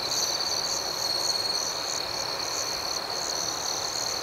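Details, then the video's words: Crickets at night keep up an unbroken high-pitched buzzing trill, with a quicker wavering pulse of chirps higher still, steady and even in loudness. "Soothing Cricket Sounds"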